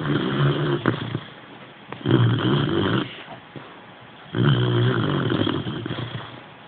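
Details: Sleeping Boxer puppy Tindrah gives three long, raspy snores, each a drawn-out buzzing rumble lasting about a second, separated by quieter breathing pauses.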